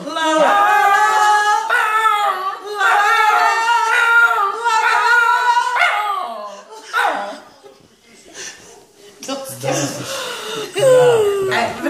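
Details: A pet Fox Terrier sings in long, wavering howls in duet with the owner's mother, whose voice joins near the end.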